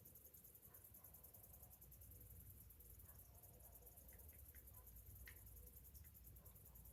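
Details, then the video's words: Cicadas singing on a summer morning, their high, rapidly pulsed buzz filling the air continuously, with a few brief chirps from other birds and a low rumble underneath. "Morning summer cicadas sounds"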